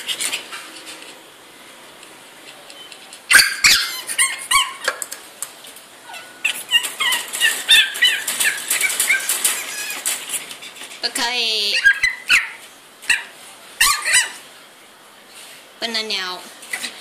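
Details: DouDou, a three-month-old female pug caged indoors so she cannot eat more food from the floor, whines and yips in high, wavering bursts, with rattling and clattering noises and long drawn-out squealing cries toward the end.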